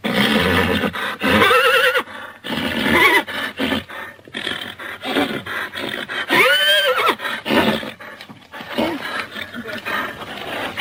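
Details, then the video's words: Horse calling repeatedly: a dense stretch of harsh, quavering neighs and whinnies, several overlapping with rough, roaring breathy sounds, one clear rising-and-falling whinny near the middle, with steady noise underneath. "#horses sounds"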